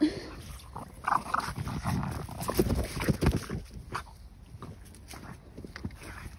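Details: Female French Bulldog on a walk, worked up with excitement after finding a ball: soft whimpers and grunting snuffles over low rumbling handling and wind noise, with a woman's voice briefly audible.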